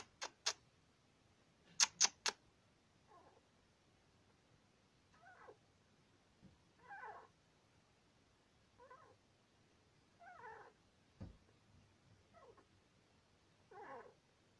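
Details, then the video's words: Sweetpea, a male Syrian hamster aged two years two months, squeaks in his sleep: a few sharp clicks open, then short raspy squeaks recur about every one and a half to two seconds in a quiet room. "Syrian hamster squeaks in sleep"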